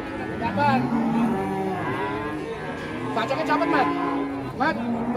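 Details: Several cattle mooing together at an Indonesian farm, long low harmonic moos overlapping and rising and falling, with a few sharp clap-like bursts near the end.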